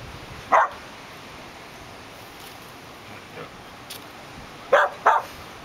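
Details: Samoyed named Winston, outdoors at a picnic, reacting to a lizard he discovered: a few short sharp barks, one near the start and a quick pair near the end, separated by quiet with a steady background hiss.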